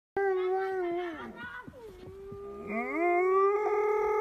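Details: Alaskan Malamute from Sweden singing: a sustained, mournful howl, dipping and wavering, then rising into a louder, steady tone held for over a second, rich in harmonics.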